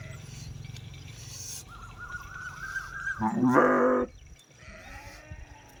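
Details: Sheep bleat, a short strained harmonic cry of about a second, following a steady high tone, with low rumbling background noise and quieter sounds afterwards.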